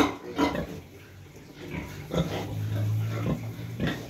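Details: Sow that has just given birth, kept in a pen with her piglets during the cold season; low short grunts come in irregular bursts at about 140 per minute, with a steady low hum and faint clatter behind.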